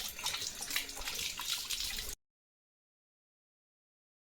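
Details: About two seconds of splashing, tap-like running water with hissy bright noise, followed by silence. No animal voice is heard.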